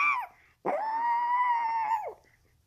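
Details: A Chihuahua "singing" gives a short falling yelp, then a long, steady, high-pitched howl that swoops up and drops away.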